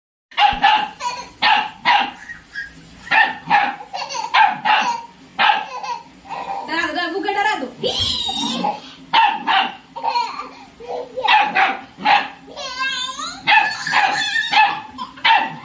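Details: Puppy at play with a laughing baby indoors in a small room; rapid runs of short, sharp barks, roughly two a second, mixed with the baby's squealing laughter and people talking.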